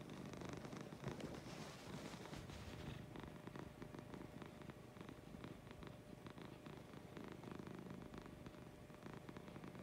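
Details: Lucy the cat purrs in the morning, a dense low rumble with quick fluttering pulses, fairly even in loudness, with some broadband rustle mixed in.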